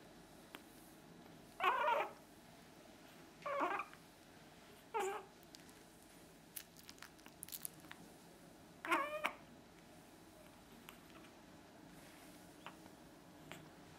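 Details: Panchito, a two-month-old Chihuahua puppy, gives four short, high whimpering yelps spaced a few seconds apart, the last one a quick double cry, with faint clicks and a steady indoor hum between.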